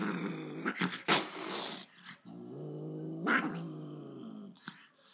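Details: Angry dog giving long, low, rough growls that rise and fall, with a short loud burst near the start and a quieter stretch before another drawn-out rumbling growl.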